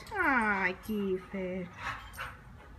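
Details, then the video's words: Kiefer, a neighbour's dog that drops by wanting to play, gives a long falling whine followed by two short, flat whimpers, with soft voices heard near the end. "Kiefer wants to come and play"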